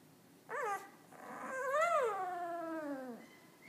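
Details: One-week-old puppy giving a short yelp, then a longer drawn-out whimpering cry that swells in pitch and slowly slides downward, faint and indoors-sounding.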